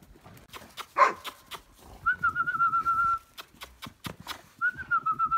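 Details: Briard dog whining: a brief sharp burst, then two long, high, wavering whines, with steady tapping clicks running underneath.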